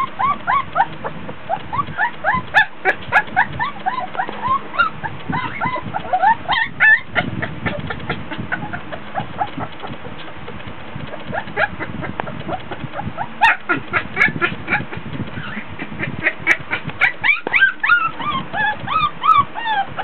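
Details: Several 24-day-old Border Collie pups fussing in their whelping box during a play session, hot and tired; dense chorus of rapid whines and squeals, bursts of upward-sweeping cries separated by quieter rustling stretches.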